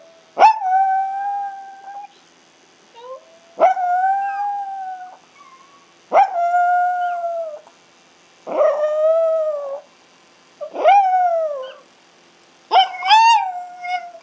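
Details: Two pet Chihuahuas, Ace in front and brown Oscar learning to join in, howling as Ace does when he can't find his mom: six long steady howls starting with a sharp rise, each lasting about a second, with short pauses between.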